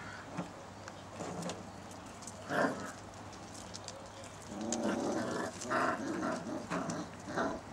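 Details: Six-week-old basset hound puppies playing in a garden with their mother and father nearby, 19 September 2009. Short yelping, whining bursts come near the start, then a livelier run of overlapping yips through the last three seconds.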